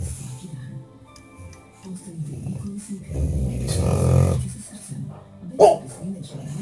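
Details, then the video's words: A sleeping bulldog snores loudly in low rumbling breaths and, while dreaming, gives a longer snorting rumble midway and then one short muffled bark near the end, over faint background music. "Bulldog snoring and barking in the dream"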